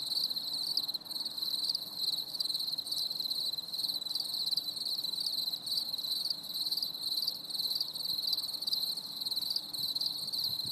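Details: Crickets singing on a stormy summer evening: a dense, continuous high trilling chorus with overlapping pulsed chirps and no other clear sounds.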